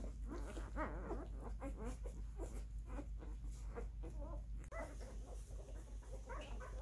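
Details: Crowded chorus of husky mix puppies, twelve fosters born and raised in a home for nine weeks, whining in wavering, overlapping cries about three a second over a low constant hum.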